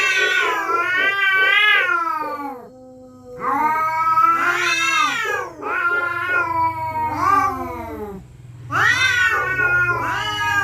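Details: Territorial cats threatening each other at night: loud, drawn-out wailing yowls with rich harmonics, each bending up then sliding down, in three long bouts separated by brief quiet gaps, over a low steady hum.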